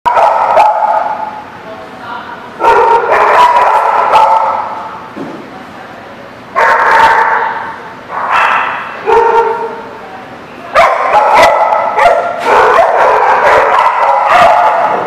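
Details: Many dogs at The Barking Lot, recorded 22 September 2017, barking and yelping together in overlapping bursts with quieter gaps between loud spells, some drawn-out whining tones, and possible human speech in the background.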